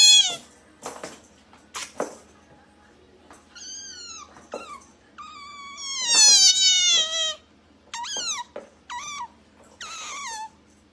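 An otter gives high, cat-like mews that slide downward, repeated in short bursts.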